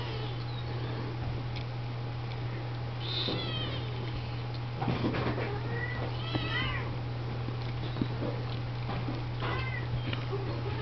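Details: Litter of Siamese, Oriental and Snowshoe kittens cleaned and fed by adult female cats indoors; scattered high-pitched bending mews, a few in quick pairs, with shuffling and a constant low hum beneath.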